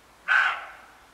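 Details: Roe deer at the edge of a wood on a late July morning: a single harsh, hoarse bark, sudden and loud, fading quickly into a short echoing tail, with a quiet background.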